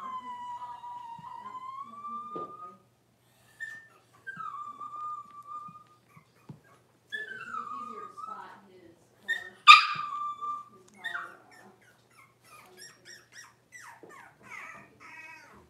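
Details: Six-week-old Cavalier King Charles Spaniel puppies in a puppy pen, being dewormed and having their toenails trimmed. They give drawn-out whines that slide upward and level off, several separate cries, a sharp yelp near the middle, then faint short whimpers.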